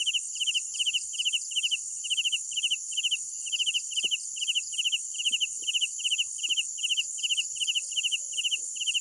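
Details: Crickets at night: evenly repeated high chirps, each a short burst of rapid pulses, about two and a half per second, over a constant shrill buzz, with a few soft distant knocks.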